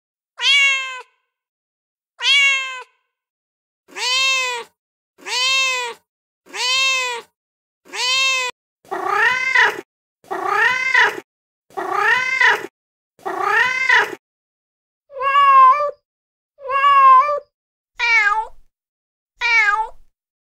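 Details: Domestic cat, a female in heat, calling for a mate with a steady run of clear, harmonic meows, roughly two every three seconds, some arched and wavering, a few shorter and higher toward the end, on a quiet background.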